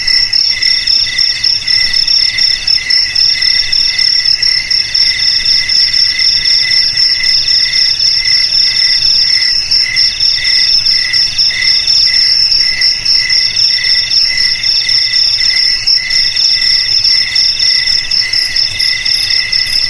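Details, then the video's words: Long stretch of cricket chirping meant to repel rats around the home and rice field, a piercing steady drone with quick regular pulses in the lower band and no other animals or voices. "Suara JANGKRIK"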